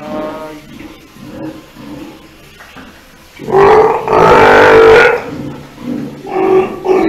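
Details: A Steller sea lion pup of unknown sex at an aquarium gives a loud, hoarse, bleating call lasting over a second, with softer calls around it.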